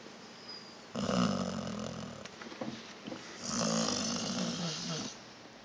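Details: Snoring pet dog Vita, asleep indoors, gives two rough, wheezy snores, each just over a second long, with soft breathy sounds between them.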